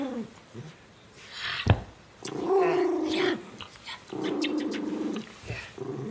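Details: Jakie, a pet miniature schnauzer, growls indoors: low, rough rumbling bursts of a second or more, separated by short pauses, with a few brief clicks and sharper noises in between.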